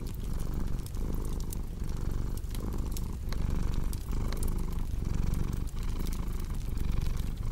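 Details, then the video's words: Cat purring steadily in a deep, low rumble that swells and dips with each breath, pulses under a second apart, while sharp crackles and pops of a fireplace scatter over the top. "Purring Cat"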